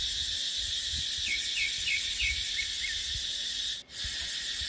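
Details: Cicadas in dry dipterocarp forest in the dry season keep up a continuous shrill buzz. A bird repeats about six short falling chirps in quick succession, then the sound briefly drops out before the drone resumes.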